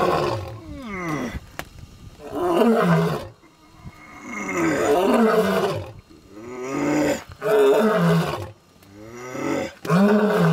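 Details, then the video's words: A lion calling in Zambia gives deep, rasping roars in a series of loud, drawn-out bouts separated by brief pauses. "Lion Calling in Zambia"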